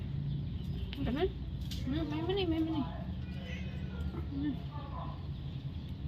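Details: Domestic cat having its ears cleaned, giving drawn-out wavering meows that rise and fall, mixed with Vietnamese speech from people nearby over a low steady hum.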